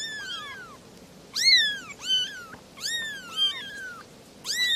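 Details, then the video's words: Three little kittens meowing, high-pitched mews overlapping in quick succession, each a bright arching cry that rises then falls, several in bursts across a few seconds with faint low background hum. "Three little kittens are meowing"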